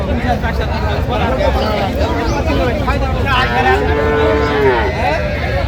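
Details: Cows and calves for sale at Aftabganj cattle market in Dinajpur, Bangladesh, on 17/1/26; one drawn-out, tonal moo of over a second rises and falls in the middle of constant crowd chatter and bargaining voices.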